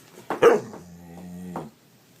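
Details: Dog making funny, weird noises: one sharp bark-like yelp, then a sustained, low, humming moan with strong overtones lasting about a second before it fades to quiet.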